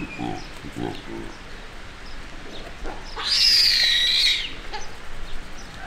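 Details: A baby baboon that was exploring alone gets scared and intimidated by the group's larger male. It gives a single thin, high, wavering squeal lasting about a second, over steady background noise.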